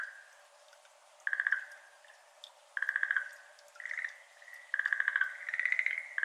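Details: Schlegel's green tree frog, a species endemic to Japan, calling at 6:53 pm on 17 May 2022 beside a flooded iris garden, captured with an ambisonic microphone; short bursts of rapid, rattling pulses come roughly every one to one and a half seconds, with pauses between them.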